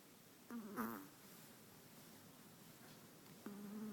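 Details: Sleeping long-haired Chihuahua named Walter, five months old, snores: one short, rattling, droning breath near the start, a long quiet pause, then the next snore beginning at the end.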